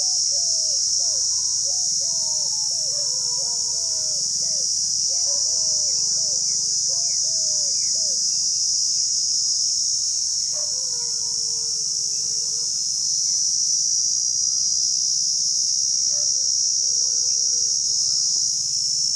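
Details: Cicadas near Rajsamand in Rajasthan, India, keep up a continuous high-pitched hiss-like buzz. Underneath, birds give quick series of chirpy whistled notes, then pauses and a few longer slurred whistles.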